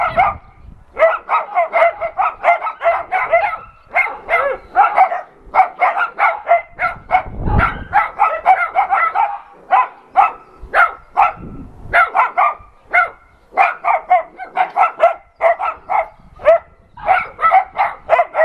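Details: Dogs at an adoption center barking while an NRK TV crew visits. Many voices overlap in dense, rapid, sharp barks, sometimes in quick bursts and sometimes near-continuous, with brief lulls and low thumps in between.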